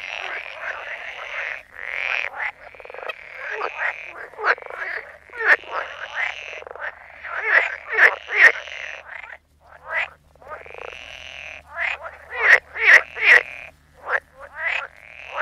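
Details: Frogs croaking in a dense chorus, overlapping harsh, buzzy calls with strong harmonics, many callers at once in quick irregular bursts, with brief pauses before the chorus swells again.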